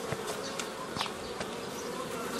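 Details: Honey bees buzzing while nucleus colonies are formed from a swarm in the old style, a steady broadband hum with brief louder passes of individual bees close by.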